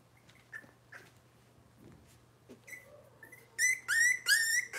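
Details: Indoors on a kitchen cam with Robin's Cavalier King Charles Spaniel puppies, faint whimpers and shuffling lead into three loud, shrill, quavering squeals in the last second, over a steady low hum.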